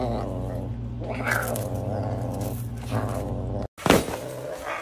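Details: A serval asks for food with a steady, deep, buzzing wail held for over three seconds, then a brief pause and a sharp harsh burst.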